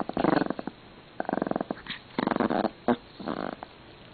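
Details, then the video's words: A pet Pomeranian angrily guarding his favourite string indoors, giving a series of short, pulsed, rattling growls in four or five bursts, each a throaty stuttering rumble separated by brief pauses. "世界一可愛く怒るポメこうちゃん When he gets angry, it is lovelier than whom."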